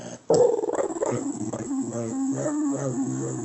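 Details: A dog answers a person asking "You want to go home with me?", as it does every time, with a sharp yelp then a drawn-out, wavering moan sliding lower in pitch.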